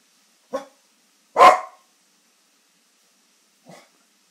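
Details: Australian Terrier barking indoors: three short, sharp barks, a moderate one, then a louder burst about a second later, and a faint final bark after a two-second pause, in an otherwise silent room.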